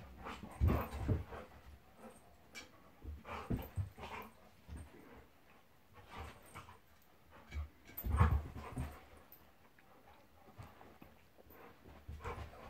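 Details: Monty the Golden Retriever roughhousing with Labrador companion Eric: low throaty growls and grunts come in clusters, loudest around the first and eighth seconds, with softer huffs between.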